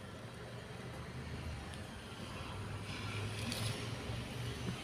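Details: Steady low engine and traffic rumble fills the recording, with faint background voices and no animal sounds.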